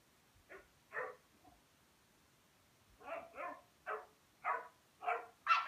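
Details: Rhodesian Ridgeback puppy at play with a Pekingese: short, rough yapping barks, a pair early on, then after a pause a quicker run of six barks, rising to the loudest at the end.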